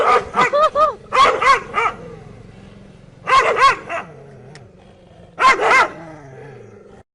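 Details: Dogs barking in short bursts of sharp, harmonic barks, several in quick succession, then pauses of about a second or two before renewed volleys; clusters near the start, around three seconds and again near five and a half seconds.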